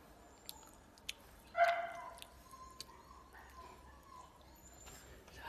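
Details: Chongqing dog, a rare landrace breed from Sichuan, gives a single short, sharp bark partway through, surrounded by scattered clicks, dripping sounds and low background murmur.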